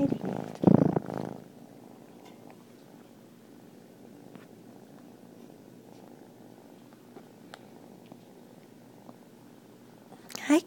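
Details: A 3-month-old Turkish Van kitten purrs in a steady, low, continuous rumble, with a brief human greeting at the start.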